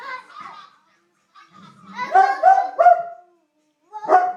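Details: Pet dog named Watson howling together with a baby boy, the two seeming to answer each other; short wavering tonal howls rise and fall, overlapping with the infant's voice, with brief pauses between bursts.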